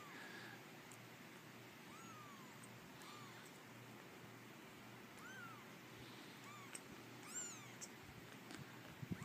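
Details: An abandoned female kitten of a feral mother, rescued and brought home, giving thin high arching mews, several faint ones spaced through the recording, over steady background hiss with a person softly talking to her.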